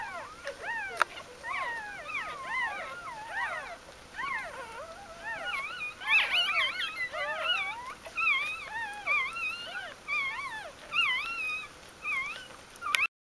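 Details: Newborn puppies from Aris's G litter, recorded in their first four days of life, 1–4 October 2012, after her birth: many overlapping high squealing whimpers rising and falling in pitch, calling almost continuously in a crowded chorus.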